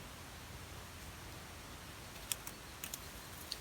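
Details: Near silence in a small indoor space, with a low hiss and a few faint clicks and no animal calls.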